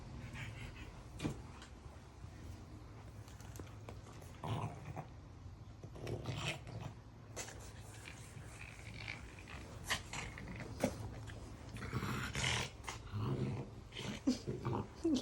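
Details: French Bulldog named Maui on a train ride, giving irregular huffing, snorting breaths in short noisy bursts, some grouped and some isolated, over a steady low rumble with faint voices.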